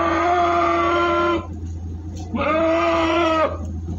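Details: Two long, drawn-out goat bleats, each over a second, steady in pitch with a slight waver, separated by a short pause. The jumbo goats are being transported from Singosari, Malang, over a constant low rumble.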